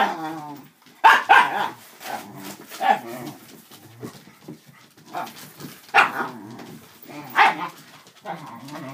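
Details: Playing dachshunds, three adults and two puppies, romping with a cardboard box, paper stuffing and a cat tunnel; rapid, irregular yappy barks about four per second, mixed with low grumbling growls and scrabbling noises.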